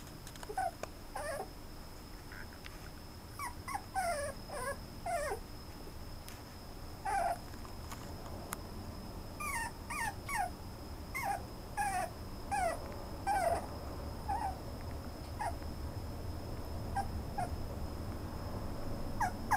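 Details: Toy poodle whimpering in bursts of short, high, squeaky rising and falling whines with pauses between groups, over a steady high electrical whine and low background rumble.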